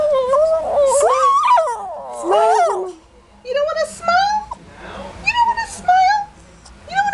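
A Shih Tzu whines in drawn-out, wavering yowls, protesting about a bath.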